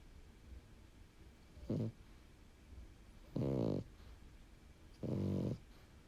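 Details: Sleeping pied French Bulldog named Bun snoring indoors like an old man: three deep, rasping, harmonic snores, each under a second, with quiet breathing between them in a small room.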